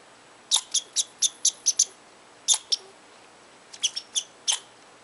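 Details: An angry squirrel in Tahosa Valley scolds from its tree at a person who came too close, giving sharp, high, clicky chips in a quick run of about seven, a pause, then two more and a looser final burst.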